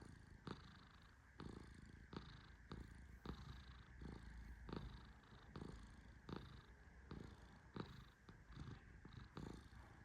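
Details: A sleeping Persian cat named Tehran, petted gently, snores in a steady low rumble, broken by crisp click-like taps roughly every second over a quiet indoor background.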